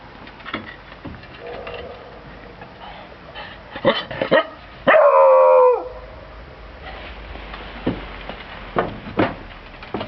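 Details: Beagle named Bruno lets out a few quick barks followed by one long, even howl near the middle, while soft knocks and rustling continue throughout.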